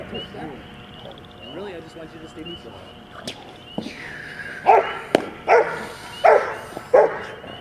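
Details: Ten-and-a-half-month-old Rottweiler puppy named Max during a bitework training session: after a stretch of talk, four loud harsh barks come about once every 0.7 seconds, with people speaking in the background.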